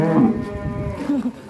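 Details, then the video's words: One-tonne cattle raging as it breaks out of its pen: a brief low, rough bellow with a second short moan after it. "SAPI EXTRIM TERKUAT 1 TON LARI NGAMUK KELUAR KANDANG"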